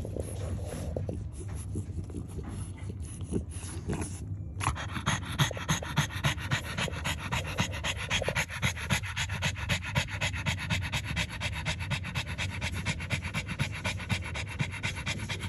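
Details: Kennel French Bulldog nursing a litter of newborn puppies, panting rapidly in quick regular breaths about four per second, with snuffling and a steady high electronic whine in the room.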